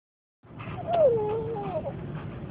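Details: Dog crying with excitement as home draws near: a single drawn-out whine that starts high, slides down and wavers, with faint car noise and a person asking what's the matter.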